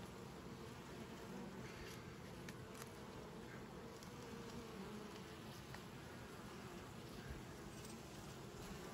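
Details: Hive of Western honey bees humming steadily while frames are opened to search for drones for instrumental queen insemination; dense, even low buzz throughout.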